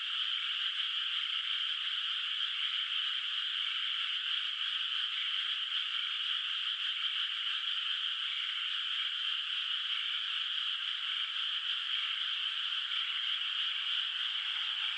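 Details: Night-time frog chorus over a moonlit, still-unplanted rice paddy in the countryside, heard from a distance; countless overlapping calls merge into a constant high-pitched trilling hum with no breaks.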